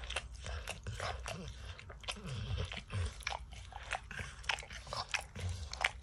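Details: Crisp crunching and lapping from Max, a dog eating peanut butter and kibble out of an orange mat; bright clicky smacks come in quick succession with occasional louder crunches.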